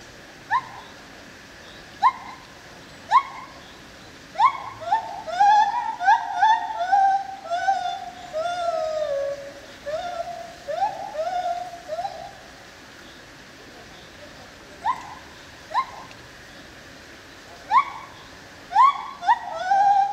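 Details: Lar gibbon (white-handed gibbon) in the Opole zoo: short rising whoops repeated about once a second, swelling into a faster run of sliding, falling hoots, then spaced whoops again. People murmur faintly in the background.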